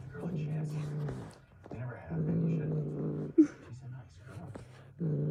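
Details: A pet cat making a snoring noise likened to a dad's snore or a fart: low, buzzy, drawn-out rumbling notes about a second long, separated by short quiet gaps, with a brief sharp click midway.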